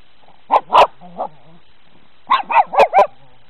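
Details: Dogs seeing snow for the first time give short, sharp barks in two bursts, a pair near the start and a rapid run of four about two seconds later, with a faint whine between.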